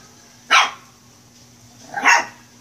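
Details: Two separate high, sharp yaps from a playful Shih Tzu puppy, about a second and a half apart, over a faint steady hum.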